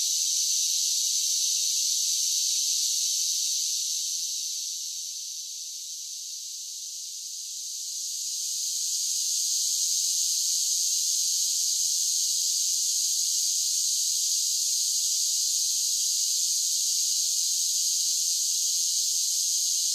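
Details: Cicadas singing in summer: a dense, unbroken high-pitched buzzing drone with a steady shimmering texture, briefly softening around the middle before swelling back to full strength; no other sounds stand out.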